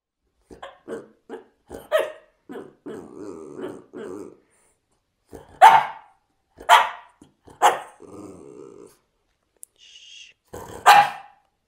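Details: French bulldog vocalising in a playful talking manner: short grumbling growls and snuffly murmurs broken by several sharp, loud barks spaced a second or so apart, with brief pauses of quiet between bursts.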